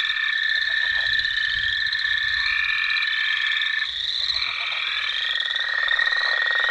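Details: A nighttime frog and toad chorus: dense overlapping trills and steady high ringing notes, with layered callers sustained throughout and no pauses.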